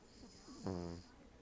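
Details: Lacey, a female Cavalier King Charles Spaniel, napping on the back of a couch with a Siamese cat nearby, lets out a single short, low, buzzing snore with a rough, harmonic-rich tone in a quiet room.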